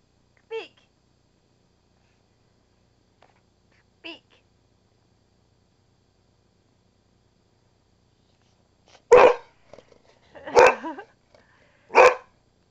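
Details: Missy, a pet dog, barking: two faint short yips early on, then three loud, sharp barks in close succession near the end, with a quiet household background.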